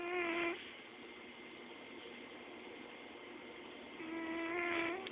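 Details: Carl, a domestic cat, snores while asleep indoors: two drawn-out, nasal, tonal snores about four seconds apart, each lasting around half a second, with quiet breathing in between.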